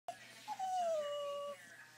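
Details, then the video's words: Dog wanting to go for a drive gives one long tonal whine that starts high, dips, then slides slowly downward and holds before breaking off, with a steady low hum beneath. "Dog wants to go for a drive"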